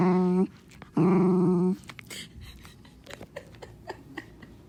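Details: Protecting his toy from an approaching person, Onyx the black Morkie lets out two strained, buzzy whine-growls, a short one then a longer one, followed by quiet shuffling and small clicks.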